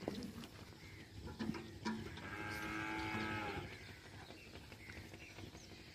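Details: Second-calf Friesian cow on a farm at Jhawariyan near Sargodha, Punjab, Pakistan, giving a drawn-out, harmonic moo of about a second and a half that swells and fades, with scattered clicks and steady farmyard noise around it.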